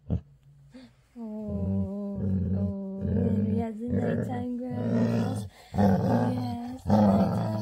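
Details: A female Labrador retriever's nightly happy growl before bed, starting quiet and building into a steady throaty rumble pulsing in uneven bursts, growing louder toward the end; a woman speaks softly over it.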